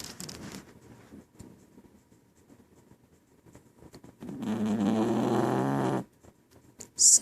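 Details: Scarlett, a female pet dog asleep lying under her owner indoors, gives a loud rasping snore lasting nearly two seconds after quiet room noise and murmured talk.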